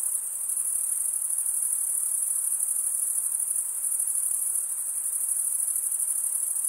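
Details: Steady high trilling of crickets, males stridulating with serrated wing veins, forms a constant sizzling band with slight swells in loudness; nothing else is heard.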